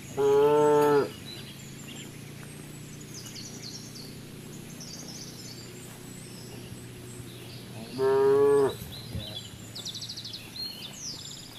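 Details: Cows grazing in the fields give two loud harmonic moos, each about a second long and some seven seconds apart; faint bird chirps and soft twittering sound in the background between calls.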